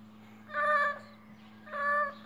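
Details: A male pet cat that appears sick makes strange noises: two drawn-out, harmonic, nasal meows about a second apart, over a steady low electrical hum.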